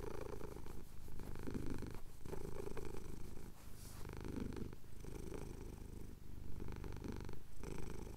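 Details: Domestic cat, a male, purring as his chin is scratched at sunrise over the Cotswold hills; continuous deep rumble broken by short pauses for breath roughly every one to two seconds.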